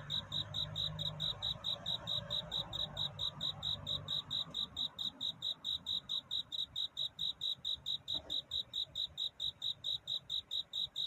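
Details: A night-time cricket's love song, sung in courtship at dawn: even, high-pitched chirps pulsing about four per second without pause, over a soft low rumble that fades midway.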